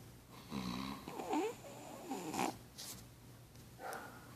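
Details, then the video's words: Pug asleep beside its owner, giving soft, rasping snores with a low nasal buzz and a wheezy rise around the middle, followed by quieter breaths and a faint hum underneath. "Pug roncando com o dono"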